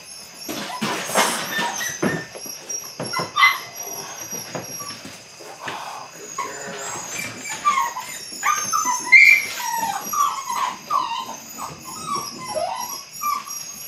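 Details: Eight-week-old Belgian Malinois puppies at the start of bite work give scattered high, thin whimpers and squeaks, clustering in the second half, over a busy background of clicks and knocks.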